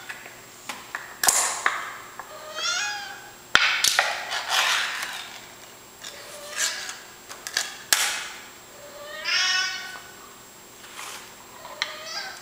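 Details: Domestic cat meowing insistently for food early in the morning indoors; repeated drawn-out, rising-falling harmonic meows about every two seconds, interspersed with sharp clicks and clatter from the room.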